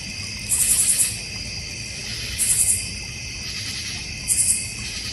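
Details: Crickets in a North Georgia Mountains backyard with a koi and goldfish pond. Steady high shrill trilling overlaid by bright, buzzy pulsed bursts about every two seconds.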